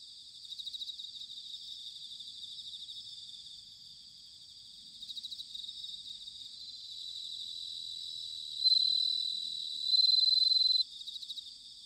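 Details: Ringing autumn song of bell crickets in Sanuki, Chiba Prefecture, Japan: a steady pulsed insect chorus with two loud, bright, bell-like trills near the end, each lasting one to two seconds.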